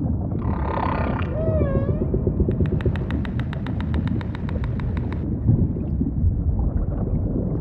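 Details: Humpback whale song opens with a wavering harmonic moan and a gliding whoop, followed by a rapid train of evenly spaced clicking pulses lasting several seconds, set against heavy low underwater rumble.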